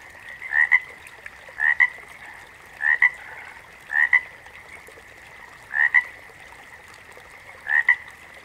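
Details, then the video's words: Backwater frogs in chorus. A nearby frog gives a clipped double croak six times, spaced a second to two apart, while a constant buzzing wall of more frogs drones behind it. "FROGS - Pig Frogs, Water Frogs, Backwater Chorus, & Frog Chorus"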